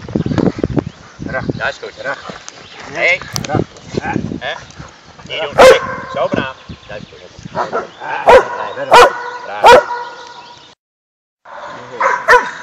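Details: Dog at a training session on Ascension Day, 17 May 2012, with Malinois, German Shepherd and Bouvier des Flandres dogs present; four loud, sharp barks at irregular gaps stand out over Dutch speech from handlers outdoors.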